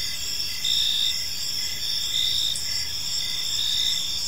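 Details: Evening in a quiet park, where many crickets keep up a shrill, steady trilling, with short pulsed chirps layered on top of a constant high insect drone.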